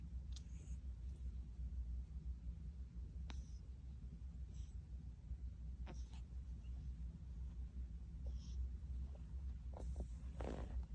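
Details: Eden, a newly adopted male Munchkin kitten born 8 October 2021, indoors: a steady, deep, continuous rumbling purr that holds throughout, with a few faint clicks and soft handling noises above it.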